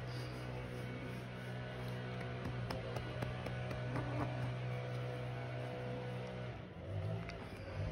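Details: Soft background music over a steady low engine-like hum, with faint ticks and no animal sound.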